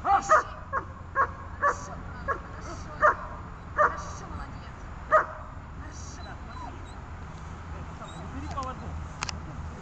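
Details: A dog during training on a rubber tether, with gripping, tugging and calming work: short sharp barks in an irregular series, mostly in the first half, over a low steady background hum, followed by a calm man's voice praising the dog.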